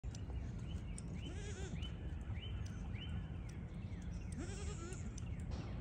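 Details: Baby registered Pygmy goats running, jumping and playing on a farm in Knoxville, Tennessee, USA, bleat in short, wavering, high cries over a low background rumble.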